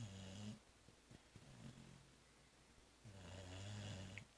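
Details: Zoé, a cat knocked out after the Christmas réveillon and brunch, snores twice indoors: a short rumbling breath, a hushed pause with small clicks, then a longer, steady droning snore.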